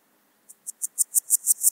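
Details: Swiss gold grasshopper at Wildhaus, Switzerland, 7 October 2022: a single short series of eight high, clicking pulses that grow steadily louder, spaced about a sixth of a second apart.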